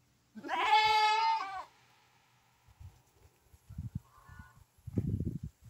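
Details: Santa Inês lamb, a purebred animal offered for sale, gives one long, steady, strongly harmonic bleat lasting about a second, followed by soft thumps, shuffling and a faint short higher call.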